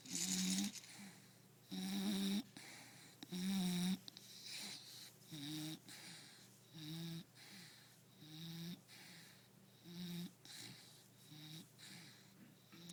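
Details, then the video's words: Akua, a Bulldog, snores while napping: a long run of about eight regular snorts roughly every 1.5 seconds, loud buzzy rasps at first, then softer, shorter wheezing breaths. "Bulldog snoring"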